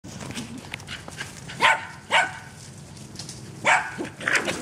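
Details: A dog romping in a back yard barks in short, sharp bursts, four loud barks spaced irregularly over a few seconds, with faint background noise between them.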